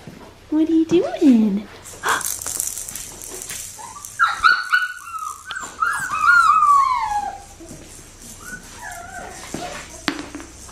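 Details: Australian Shepherd puppy, a blue merle female from Magnolia's litter, whining after a short low yelp and human voices; long tonal cries waver and fall in pitch across several seconds, with a faint constant hum behind.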